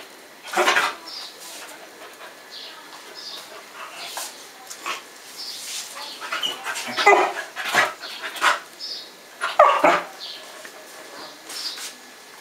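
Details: A 4-month-old Airedale Terrier playing with a 4-month-old Yorkshire Terrier gives short, sharp barks and higher yips in a lively, uneven burst.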